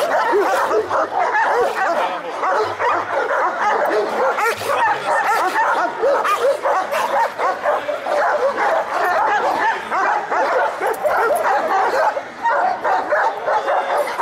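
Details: Chorus of Šarplaninac dogs barking at a breed special show, Smederevska Palanka, March 25, 2012; many voices overlap in a steady, rough barrage with occasional higher yelps and a faint low hum beneath.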